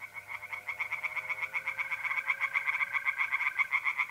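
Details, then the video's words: Pond-dwelling tree frogs in north-east Italy, mid-April at night, calling in a dense unbroken series of quick harsh pulses roughly four each second, layered over the continuous trilling of mole crickets. "relaxing singing tree frogs in pond and trilling mole crickets by night"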